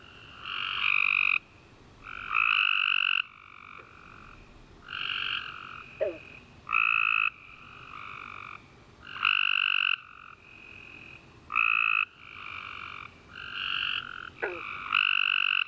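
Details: After a rainy summer day, tree frogs sing through the night in a dense chorus of buzzy, nasal trills, each lasting about a second, alternating and overlapping steadily, with occasional quick descending chirps.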